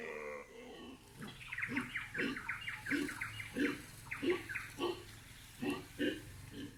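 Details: Howler monkeys calling on a morning in the Amazon rainforest of Bolivia. A series of rhythmic, pulsed harmonic calls repeats about every half second through most of the clip over faint forest background.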